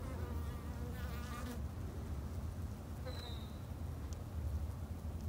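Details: Garden-kept Japanese honey bees in Japan give a steady low droning hum, with a sweeping higher buzz early on as a bee flies near and a brief thin tone midway.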